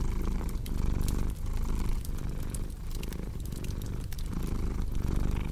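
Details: Low rumbling purr from a cat, pulsing in breath-length surges about every second, with bright crackling and snapping of burning wood over it.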